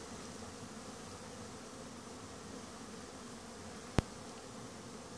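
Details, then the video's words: Wintering honey bees in Langstroth-Root hives out on a cleansing flight. A steady low hum of many bees is heard throughout, broken by a single sharp click near the end. "Зимно облитане на пчели"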